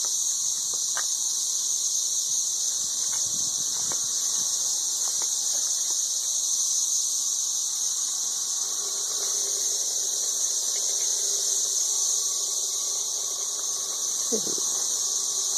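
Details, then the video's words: Thirteen-year periodical cicadas, ridiculously loud, in Nashville, Tennessee: a constant piercing droning chorus fills every second, with brief faint thumps and a low murmur near the end. "Ridiculously loud 13-year cicadas"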